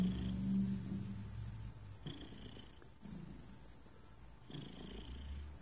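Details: A relaxed house cat purrs, the low throbbing rumble strongest at the start then fading quieter, with a few soft rustling clicks and a faint constant hum behind it.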